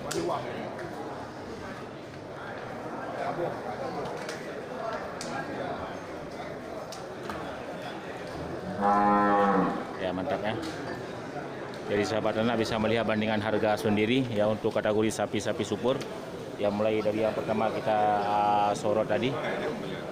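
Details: Large local cattle at the Geurugok livestock market on 29 March 2022, the last week before Ramadan. Loud, drawn-out harmonic moos rise out of the market hubbub around nine seconds and again in a longer run late on, with crowd murmur throughout.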